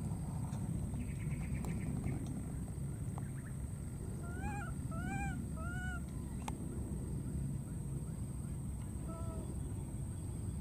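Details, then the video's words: Wild baby monkey, calling for its friend after crossing water: a few clear arched, tonal coos, rising then falling, three in quick succession and one more a few seconds later, over a steady low rumble and background noise. "this cute baby monkey keeps looking for and calling for his friend"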